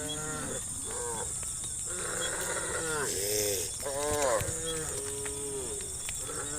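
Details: Dozens of complaining tame cows moving down a country road to vast fields; many cattle low at once, overlapping short moos and grunts in an uneven chorus, with a steady hiss in the background.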